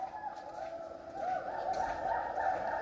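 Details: Hoolock gibbons in Lawachara National Park call loudly, a steady wavering chorus of harsh, whooping notes in the forest that stops and then starts again.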